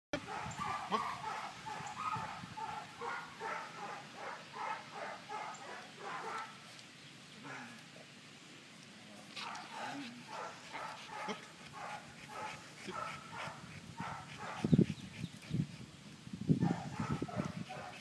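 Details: Indie, a 23-month-old dog, doing retrieve training; rhythmic breathy panting pulses repeat rapidly through the first half, ease off, then return with a few louder low huffs near the end.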